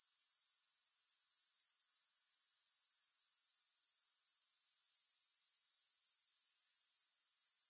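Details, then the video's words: Grasshopper sound without music: a high, sizzling trill of rapid regular pulses that swells from softer to full loudness in the first two seconds and then holds steady. "Grass Hopper Sounds"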